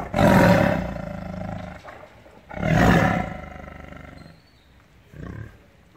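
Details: Captive tiger in anger: two powerful, gravelly roars about two and a half seconds apart, each loud at onset and fading, followed by a faint short growl.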